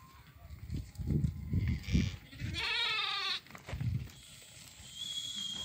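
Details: Sheep from a flock of 50 ewes with their lambs for sale in Doukkala: one wavering, buzzy bleat lasting under a second, preceded by low thumping knocks and trailed by background hiss.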